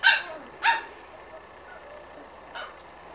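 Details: Six-week-old Corgi puppies from a litter: two short, high yelping calls close together near the start, then a fainter third yelp after a pause, with quiet room background.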